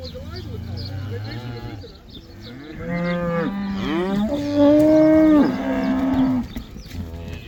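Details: Cows in the Netherlands going back out to pasture, the cow dance; a run of overlapping moos, some short and wavering, ending in a long loud bellow held near two seconds, with soft background rustle.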